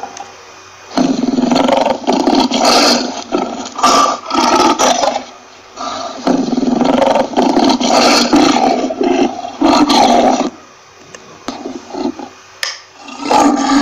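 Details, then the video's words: Lion roaring in long, harsh, rumbling bursts lasting several seconds each, broken by brief quiet gaps, with a rough, noisy texture and a few shorter growls near the end. "lion Roaring Sound"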